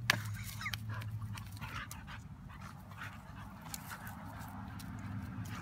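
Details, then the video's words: Playtime between Lily and a neighbourhood dog: a sharp opening yelp-like note, then short whiny grunts and panting breaths that grow softer, over a low steady hum. "Lily playing with a Neighborhood Dog"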